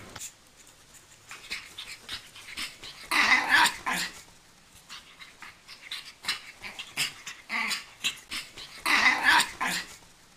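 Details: Pug puppy named Chocky during an indoor training session, making breathy, noisy bursts in uneven rapid runs, with louder clusters around three and nine seconds and occasional rough, growl-like textures.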